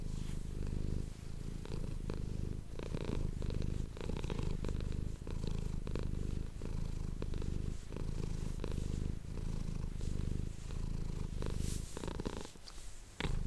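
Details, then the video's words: House cat purring into an ASMR microphone, a long unbroken low throbbing rumble cycling with in and out breaths every second or two, overlaid by soft rustles and small clicks from handling. "ASMR cat purring ❤ Manis die aan het spinnen is"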